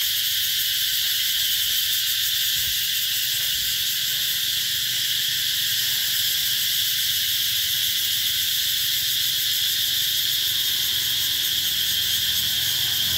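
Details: Cicadas at Mỹ Luôn in the Mekong Delta, heralding summer in 2021: a continuous, even, shrill electric hum lasting the full length, no pauses or change in intensity.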